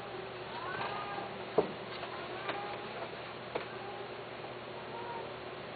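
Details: Domestic cat giving soft, drawn-out meows that rise and then fall, one early and a shorter one near the end, with a few sharp knocks and a steady low room hum underneath.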